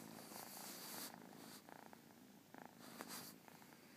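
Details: Persian kitten purring; a low, continuous rumbling purr broken by brief bursts of breathy rustling and a couple of soft fluttery pulses.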